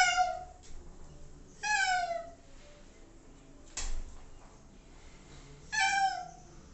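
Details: Pet cat, JJ or Tabby, meowing indoors while waiting for shampoo to take effect during a bath. Drawn-out, falling, complaining meows come about every two seconds, four in all, with quiet room noise between them.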